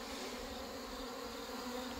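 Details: Honey bees being combined into one colony after hornet damage and failed mating, fed sugar water outdoors: a steady low hum with a strong even drone band and overtones, unbroken for two seconds, with faint background hiss.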